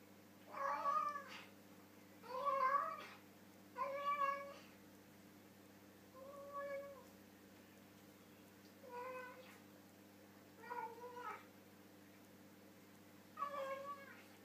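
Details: Domestic pet cat "talking" while eating dinner with its mouth full, a series of seven drawn-out, wavering meows spaced about every two seconds, some rising then falling, indoors in a quiet room.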